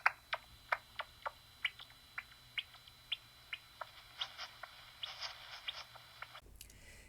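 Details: Daubenton's bats feeding over the surface of a lake in Wales, heard through a bat detector: dry, rapid clicks like crackling burning stubble, speeding up as they feed.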